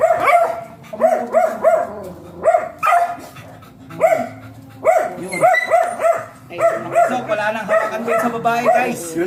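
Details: Stud-session beagle giving rapid bursts of sharp barks and yips, repeated roughly every second or two. Human voices talk over and between the barking.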